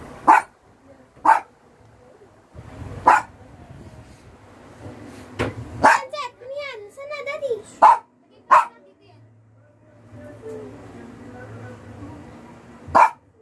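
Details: Domestic dog barking during a game of hide and seek: single short, sharp barks repeated at irregular gaps of one to two seconds over a low background hum, with a brief wavering tonal passage midway.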